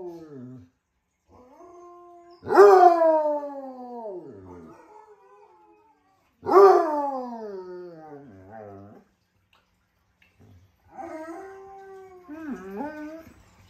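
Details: A Basset Hound howling to Malamutes in the afternoon gives long, mournful howls that start strong and slide slowly downward.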